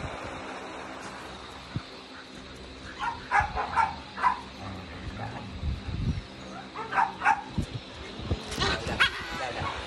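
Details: A Basenji in Indonesia gives short bursts of high, yelping, yodel-like calls in two clusters.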